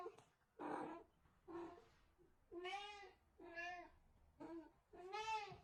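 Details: Six softer meows from a house cat in a small room, evenly spaced short whining calls, the later ones brighter and rising-falling in shape.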